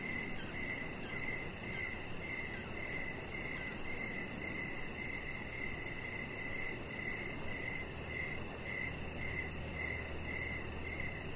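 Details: Crickets chirping in the evening beside a deck where chihuahua puppy Rocket lies under decoration lights; a long run of regular pulsed chirps, about two per second, over a steady low hiss and faint hum.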